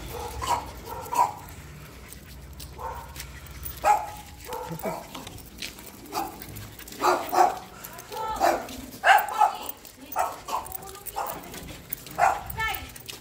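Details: Jack Russell Terriers Siomai and Shanghai out on a walk with new leashes, December 12, 2020; short, high, tonal whines and yips come in irregular bursts across the recording, with human voices at moments and faint background music.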